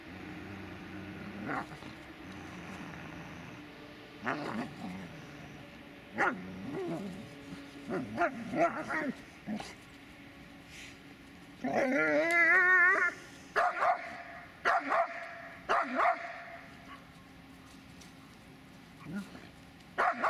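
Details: Dobermann Magmar von der Burgstätte making scattered barks and grumbles, then a loud high, wavering whine-bark around the middle, followed by more barks.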